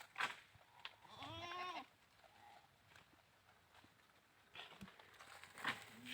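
A goat gives one wavering, nasal bleat lasting under a second, framed by a few sharp knocks.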